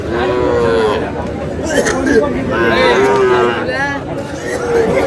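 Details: Sahiwal breed bull calves for sale at a Comilla cattle market, 27 March 2026, giving several short, harmonic moos in quick succession over busy market talk and crowd noise.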